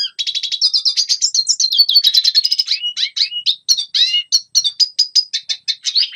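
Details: Training song of a red siskin for young birds: a dense, rapid twitter of high notes, flowing into varied slurred whistles, downward-curving chirps and a few steady held tones.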